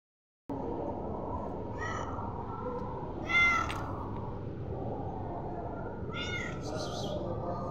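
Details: A hungry domestic cat settling for bread gives short harmonic meows, one near the start and a louder one midway, with two more late, over steady low background noise.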